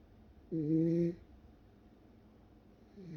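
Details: A Welsh Corgi, fast asleep, lets out a single short snore with a low rough tone, followed by quiet breathing and the start of the next snore.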